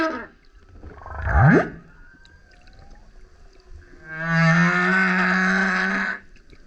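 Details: Male humpback whale singing super loud as it surfaces near a kayak: a quick rising swoop, a pause with faint tones, then a long steady low drone with buzzy upper overtones lasting about two seconds.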